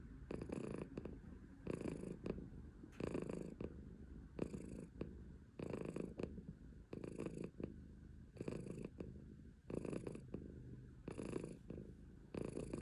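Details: A female silver tabby Maine Coon cat purrs steadily in low rumbling pulses with soft breathy bursts.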